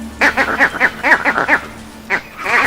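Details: Vervet monkey alarm call specific to a leopard: a fast run of harsh, barking calls, then a brief pause and more barks; the troop flees into trees.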